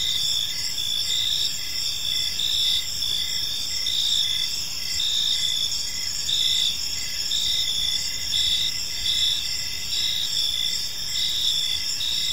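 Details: Evening in a quiet park, crickets chirp together in a continuous high-pitched chorus, several overlapping trills running at different pitches with gentle pulsing, steady loudness and faint low rumble underneath.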